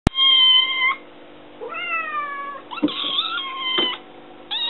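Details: Kitten named Luke meowing indoors to demand food, climbing onto the counter; several drawn-out, harmonic-rich meows, the first loud and steady, later ones wavering and rising, with a short clipped meow at the end and faint room clatter.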